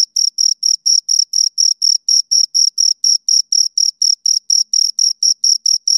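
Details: Pair of crickets giving clean, separate high-pitched chirps, each burst short and scratchy, spaced evenly at roughly four per second with clear silences between, nothing else audible.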